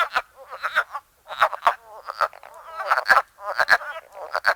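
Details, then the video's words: Frogs calling in spring in Ottawa County, Michigan: short, hoarse, clucking croaks in irregular bursts, several overlapping, with brief quiet gaps between groups. "Frog Calls of Ottawa County, Michigan"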